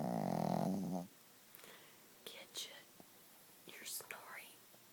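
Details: Gidget, a sleeping Chihuahua, gives one loud, low, droning snore lasting about a second, followed by soft whispering and faint rustles.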